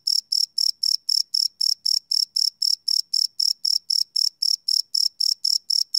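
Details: Night crickets recorded live with a Sony PCM D100 field recorder, giving crisp high chirps in a steady rhythm of roughly four pulses per second over a quiet background.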